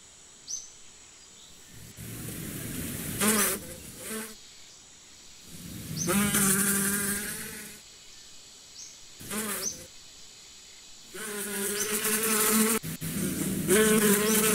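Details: Bees buzzing in repeated passes, each drone swelling loud and steady for a second or two, then fading to near quiet before the next approach; short rising chirps of small birds sound in the background.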